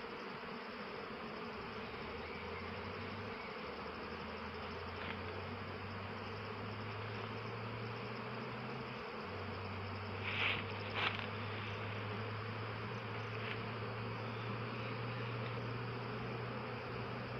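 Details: Honey bees collecting nectar from eucalyptus flowers fill the air with a continuous, many-layered buzz, a low droning hum shifting in pitch as single bees pass close, with a couple of brief clicks or knocks near the middle.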